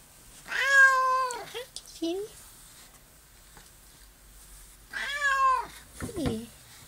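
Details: Two plaintive, arching meows about four seconds apart from Honey Delite, an adopted barn cat newly turned friendly and allowing petting; brief soft murmurs and small noises follow each call in a quiet room.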